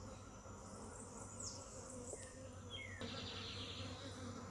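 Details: Steady low hum of honey bees, a continuous droning buzz with harmonic bands, broken by a few quick high bird chirps and a sharp click midway.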